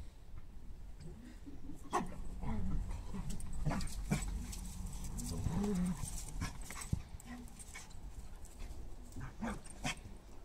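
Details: Alma and Aivy, Glen of Imaal Terrier puppies, tumble about the garden with mother Keva and grandfather Jake. High, drawn-out whines and throaty play growls repeat quickly over scuffling, panting and a few sharp clicks.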